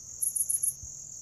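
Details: Grass insects calling, a sound cats are said to like: four quick, bright chirps over a constant shrill background drone.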